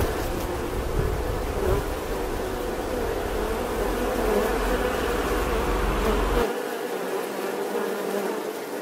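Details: Buzzing bee drone over a deep low rumble that cuts off abruptly near the end, leaving the hum alone.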